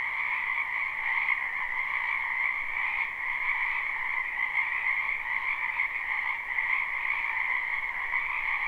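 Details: A spring chorus of numerous frogs from a wetland beside a home, captured live: constant overlapping croaks fused into a seamless high, buzzy hum over a fainter lower band, with small pulses of loudness but no gaps.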